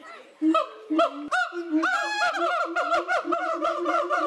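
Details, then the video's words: Captive siamang gibbons at Cotswold Wildlife Park yelling at a watching crowd: a few loud, harmonic whooping notes, then a rapid, rising series of barking hoots at about three per second, growing more excited. "Funky Gibbons yell at the watching crowd"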